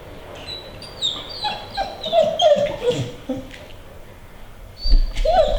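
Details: Female American Pit Bull Terrier whining to get on a treadmill; a few soft, wavering high whines around the middle, then a louder whine near the end, over a quiet room background.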